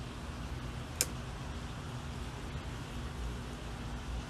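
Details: Low indoor hum like a fan or air conditioner, broken by a single sharp click, with no animal sound.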